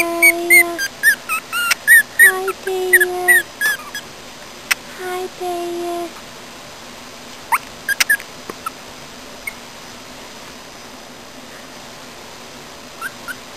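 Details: Pomeranian dog whimpering: thin, high, quickly repeated whines in the first six seconds over steadier lower whining tones, then scattered clicks and a few faint whimpers in a quiet room.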